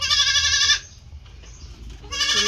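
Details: Domestic goats raised as healthy farm animals: a loud, harmonic-rich bleat lasting under a second, then a quiet gap with faint low rumble, and a second bleat starting near the end.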